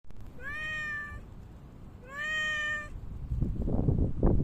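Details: Park cat meowing on 3 August 2023, just after Typhoon No. 6 passed: two drawn-out, clear, slightly rising meows about a second apart, then rustling, crunching footstep noise outdoors.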